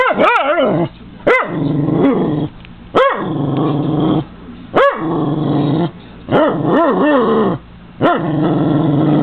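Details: A Cairn Terrier that hates birds barks through a window at seagulls and crows feeding outside, short high yelping barks, some doubled or tripled, every second or two over a constant low rumble like wind or traffic.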